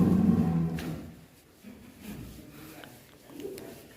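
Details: Jaka Swara, a huge cow kept at Sabarudin Farm in Indonesia that has long stayed in its stall, gives a short, deep, loud moo at the start, then fades under men talking in a room.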